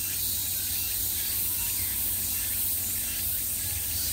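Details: A short stretch of summer cicada chorus: an even, shrill buzz with no gaps, layered over a low continuous hum.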